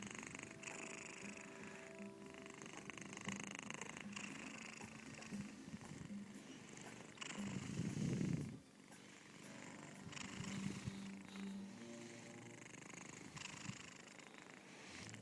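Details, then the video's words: Female pet cat Nrml sleeping on someone's chest, mouth open, purring so loudly she snores too; continuous low throaty purr beating rapidly, swelling into a louder rasping burst midway before dropping softer again, indoors. "Nrml sleeping... and snoring!"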